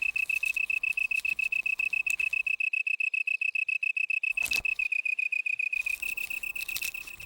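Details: Male long-tailed tree cricket calls from inside a leaf hole, using leaf and wings as a baffle to boost volume for a listening female: an unbroken run of bright, high, rapid pulses, briefly crossed by noisy bursts.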